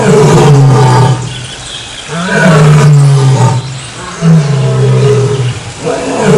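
A lion gives deep, rumbling roaring grunts, each lasting about a second and repeated roughly every two seconds, low and throaty with no other clear sounds.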